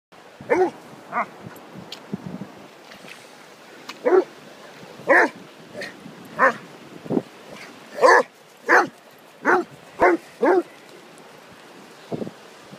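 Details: Whippet Orla and Basset Hound Peter playing together on Holkham Beach; about a dozen sharp, harmonic barks arrive in loose bursts over a low steady hiss, some doubled in quick succession, others spaced by seconds of quiet.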